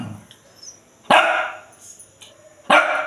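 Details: Shih Tzu indoors, refusing to get off the bed while being coaxed down, gives two sharp, loud barks about a second and a half apart, with quiet room sounds between.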